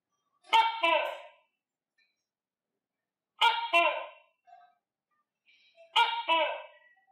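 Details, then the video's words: Tokay gecko kept as a pet, a cricket eater, repeats a harsh, resonant two-syllable call three times at intervals of roughly two and a half seconds. Otherwise the room is nearly silent. "Tắc Kè Hoa Ăn Dế Và Nghe Tiếng Tắc Kè Kêu - Tokay Gecko Eat Crickets And Gecko Sound Effect"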